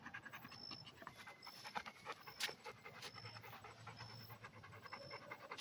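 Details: A red Pit Bull pants in rapid, uneven breathy bursts, while faint high electronic beeps sound now and then in the background.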